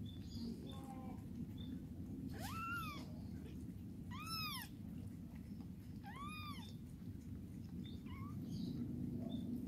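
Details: Mother cat cleaning her kittens and helping them urinate; three thin, high mews rising then falling, each under a second, spaced about two seconds apart, over a steady low rumbling background.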